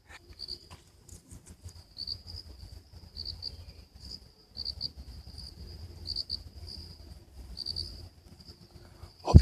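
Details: On a cloudy, drizzly day on a hike to Dahachok hilltop near Kathmandu, Nepal, crickets chirp in a steady, high-pitched trill of pulsing bursts over low rumbling noise.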